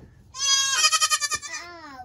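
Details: Baby goat from the 2022 kidding season in a crowded, loud pen; a strong quavering bleat pulsing rapidly in loudness, then tapering into a softer, falling tail.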